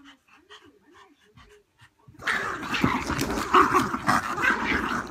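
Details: Several terriers sharing a house play tug of war over a toy: after two seconds of soft, high whimpering notes, a loud, continuous rough growling and scuffling noise takes over and keeps going to the end.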